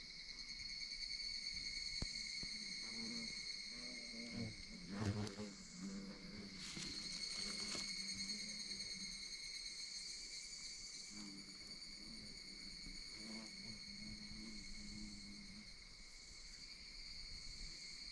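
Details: Evening cicadas sing in a high, ringing chorus blended with the steady drone of Ezo cicadas, in old-growth forest just below Washigamine summit, Okinoshima town, dated 2027.7.27.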